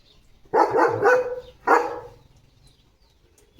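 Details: Leo, a German Shepherd kept as a pet, barks in a lively morning session at home: a quick double bark run together, then a single bark, and another starting at the end.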